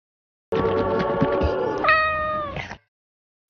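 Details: A domestic cat gives a long, rich meow that starts steady and flat, then jumps higher and holds a drawn-out, slightly falling tone before fading, lasting about two seconds, with low rustling beneath.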